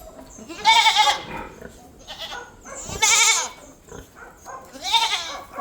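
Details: Domestic goats kept as pets give three loud, wavering, nasal bleats, each about half a second long and spaced roughly two seconds apart, with quiet pauses between.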